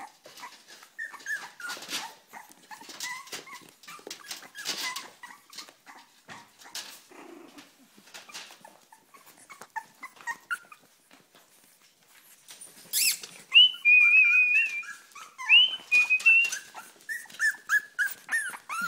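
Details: Impatient Cavalier King Charles Spaniel whining for its food: scattered soft squeaks at first amid clattering noises, then a louder burst of high, wavering, quavering whines near the end.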